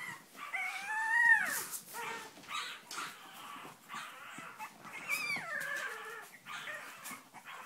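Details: Cavalier King Charles Spaniel giving two drawn-out, tonal whining howls, each climbing then sliding downward, about four seconds apart, with softer whimpers and rustling between them.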